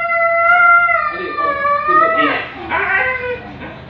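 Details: Siberian Husky at an artificial insemination (A.I., stud) session, howling: a long, steady, tonal note held for about a second, then wavering, bending calls that dip and rise, with a faint hum behind.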